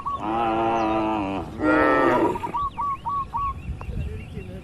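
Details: Cows among dozens resting and moving in a large farm barn: a long, deep, harmonic moo, then a second shorter moo, followed by quick repeated chirps from small birds.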